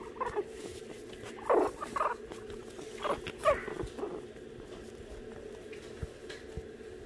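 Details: Shih Tzu puppies in a play pen indoors; short muffled whimpers and grunts come in bursts over the first four seconds, then a low hum of room noise with faint scuffling continues.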